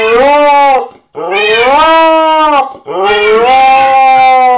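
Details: A Siberian husky gives three drawn-out, wavering howls with rich harmonics, each rising then falling, howling along to a Minecraft cats sound.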